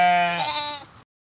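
A single sheep bleat, about one second long: a nasal, wavering 'baa' that drops slightly in pitch before cutting off. Nothing else is heard.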